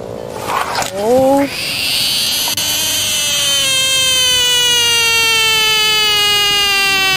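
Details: A frog lets out a piercing sustained scream. It begins with a short rising squeal, then settles into a long, loud, even wail that slowly sinks in pitch over about five seconds. A brief voice is heard at the start.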